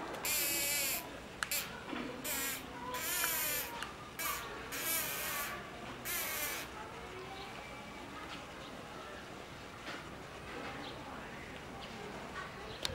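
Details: A chimpanzee at Tobu Zoo makes what may be whistling: wavering, breathy whistles in short bursts, with quieter background noise afterward.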